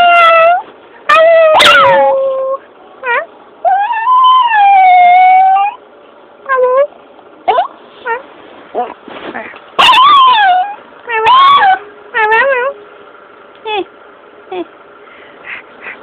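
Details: A pet dog that does not bark answers certain noises with an odd little howl: a string of short yips and whimpering wails, some rising then falling, mixed with a few longer wavering howls. A person's voice is heard faintly.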